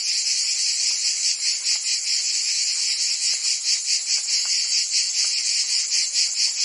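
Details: A cicada chorus singing in summer in Provence, France, heard as a continuous piercing buzz with rapid rhythmic pulses, plus faint brief lower clicks scattered beneath.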